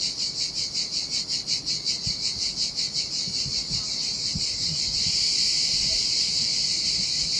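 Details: Summer cicada chorus on a deserted Sardinian seashore: a rhythmic, pulsing high buzz that smooths into an unbroken sizzling drone about halfway through, with a few soft low thumps from the water.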